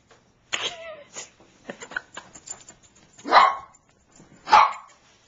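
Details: Squeaks and a woman's voice open the scene, then Niqqi, a female Bichon Frise pleading for her squeaky toy, gives two loud, separate barks about a second apart.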